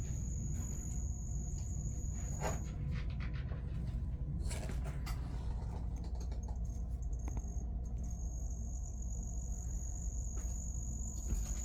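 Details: A pet cricket gives a thin, high, steady trill that breaks off briefly, then resumes.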